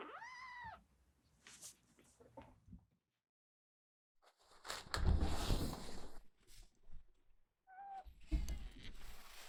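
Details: Indoor cats in April, a rescued kitten meeting a resident cat that hisses in threat: a high arching meow, a pause, a long breathy noisy hiss with rustling, then another short meow.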